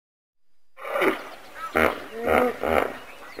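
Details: Common hippopotamus calling: after a short quiet start, a series of four loud, pulsed, harmonic honks, each about a third of a second long, repeated roughly every half second, with a wheezy, nasal, grunting quality.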